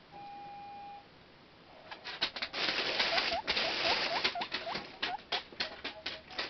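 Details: Excited pet guinea pig wheeking in the morning as its food bag is handled: a steady tone first, then repeated short upward-hooked squeaks under loud crinkling bag noise.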